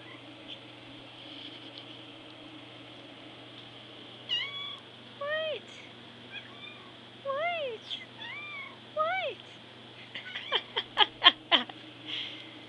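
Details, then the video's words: Hungry indoor cat meowing for food: a run of short, rising-then-falling meows spaced about a second apart, quickening into a rapid burst of sharp chirpy meows near the end over a steady low hum. "The Food Now Meow"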